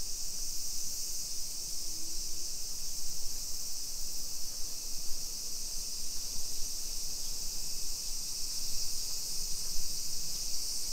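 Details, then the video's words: Summer cicadas in a suburban Nisshin city neighborhood near Nagoya, Aichi, Japan, 2 PM on 28 July 2021, during a street walk: a steady high hissing drone with no breaks, over a low rumble of footsteps and wind. "Summer Cicadas Sounds"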